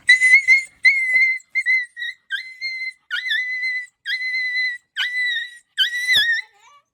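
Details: Puppy voice (pille ki awaaz): a series of about eight high, thin whimpers, each under a second, holding a steady pitch after a brief downward hook at the start, separated by short silent gaps, with faint clicks between them.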